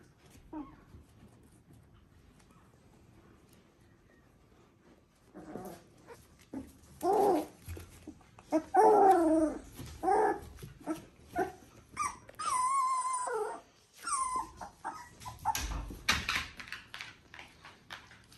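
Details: Border Collie litter V2 from Ori and Cru, puppies three weeks old, indoors; after a quiet start, repeated high whimpers and yelps build up, including a long wavering wail, with soft rustling between.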